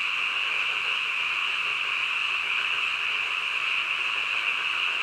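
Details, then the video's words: Frogs calling at night as a thick, seamless chorus. The bright, ringing hum stays level throughout, and no separate croaks or other noises break through. "한밤중 개구리 울음소리"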